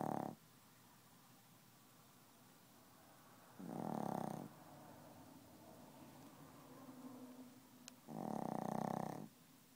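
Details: Dozing Chihuahua that keeps snoring and will not wake; harsh snores about every four seconds, with a softer whistling breath and a brief click between the second and third.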